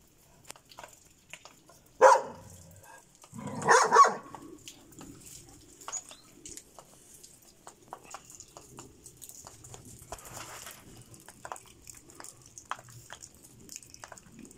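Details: A Šarplaninac lets out a short sharp bark, then a longer doubled bark two seconds later; the remaining stretch is quiet with scattered faint clicks and soft background noise.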